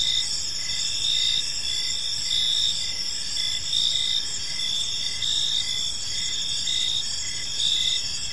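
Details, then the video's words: Evening in a quiet park filled with the gentle chirping of crickets: layered high-pitched trilling, short chirp bursts recurring under a second apart, faint low rumble beneath. "Park Serenade: Cricket Sounds in a Peaceful Park"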